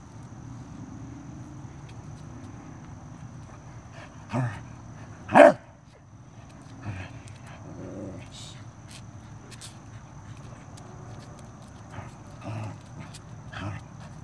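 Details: Arthur the Corgi during a close encounter with a stink bug, giving a few short, sharp barks spaced a second or so apart, one louder bark standing out, over a steady low hum.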